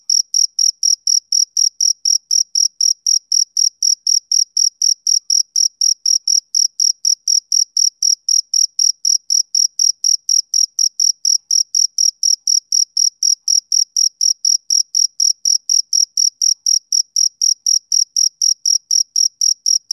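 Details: Rhythmic chirping of a male cricket on a summer evening. Bright, high pulses repeat evenly at roughly four per second for the whole stretch. The background is silent.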